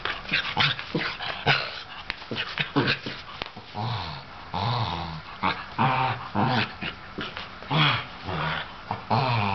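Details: Older sable Shetland sheepdog, feeling crazy and wanting to play with a younger ginger tabby cat, gives rapid bursts of deep, growly barks and yips, packed closely together with a few short pauses.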